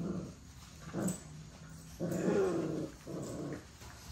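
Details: Puppies playing and play-fighting growl in three rough, low bursts about a second apart, the longest rumbling for nearly a second in the middle, with quiet gaps between.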